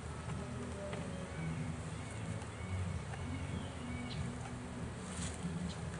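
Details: A swarm of bees, caught in a first homemade swarm trap, being pulled out of it outdoors. They make a steady, low droning hum throughout, with faint high bird chirps and a few light clicks above.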